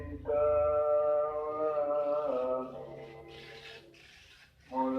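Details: Cat fight yowling: a steady, loud, harmonic moan holds for two seconds, wavers briefly, then fades into quieter breathy hisses. A new yowl starts sharply at the very end.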